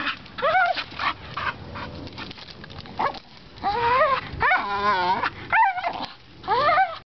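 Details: A Bull Terrier playing with a rope on a spring pole gives high, wavering whines and squeaky yelps that rise and fall in short bursts; he is not in pain, just very vocal.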